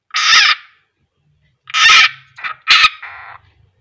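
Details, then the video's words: Harsh, wide-band screams from a frog caught and swallowed by a keeled rat snake (Ptyas carinata), king koros, during feeding: one long cry, a pause, then a quick run of three grating bursts trailing into a softer rasp. "Beginilah suara katak kalo teriak"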